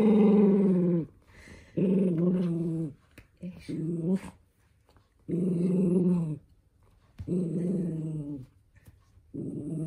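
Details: Toy poodle named Minato, indoors, growling angrily while having socks put on; long harmonic growls of about a second each, repeated in bursts with short pauses, faint voices between.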